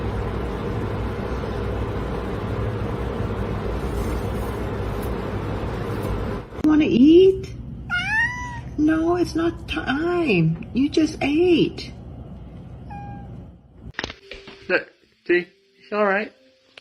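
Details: Pet cat meowing indoors after a stretch of steady background rumble. A run of short rising-and-falling meows comes in quick succession, then a few clipped, higher calls near the end, with people's voices nearby.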